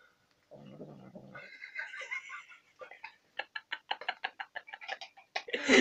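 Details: Domestic cat eating sour cream: a low, rough growl lasting under a second, followed by a brief harmonic whine, then a rapid run of sharp clicking and smacking sounds.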